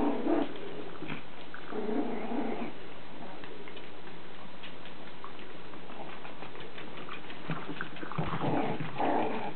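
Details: Lacey, a Chihuahua puppy, growls while playing with toys: low, throaty rumbles in separate bursts, with quiet gaps and light knocking of toys in a small room.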